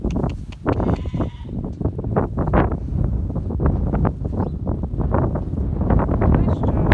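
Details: Goats being herded by Tuck, a six-month-old stockdog, bleat in short harmonic cries scattered through the clip, some overlapping, over steady low rumbling ground noise.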